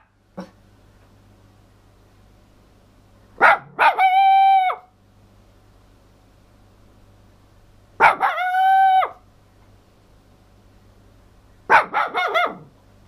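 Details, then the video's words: Toy poodle Missy howling loudly indoors: three drawn-out tonal howls about a second long, each opening with a sharp yelp and holding a steady harmonic-rich pitch, spaced roughly four seconds apart, with a low hum beneath. "missy the toy poodle howling"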